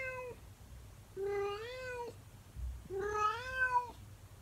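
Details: In the morning, a female calico cat left alone in a room gives her singing calls. One short meow, then two long, drawn-out, slightly rising meows with rich harmonics and a faint bump between them.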